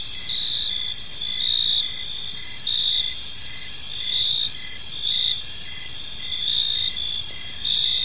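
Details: Crickets in an evening park chirping in a thick chorus, high pulsed notes repeating about once a second over a sustained shrill hum, with gentle swells in loudness.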